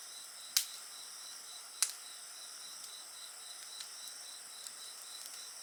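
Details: Insect voices ring in a constant high drone with a rapid rhythmic trill, while a bonfire cracks twice loudly near the start and then pops softly now and then.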